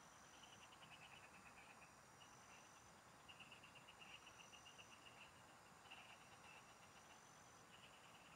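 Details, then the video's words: Frogs singing in the fields, heard while fishing: bursts of rapid, evenly pulsed chirps that come in short trains every second or two, over a steady high insect whine and a soft, continuous hiss. "Pikinggan mo Ang MGA huni Ng MGA Palaka SA bukid"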